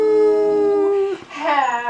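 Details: Pet Dalmatian dog howling along as people sing Happy Birthday: one steady, sustained tone for about a second, a short break, then a wavering howl that rises and falls.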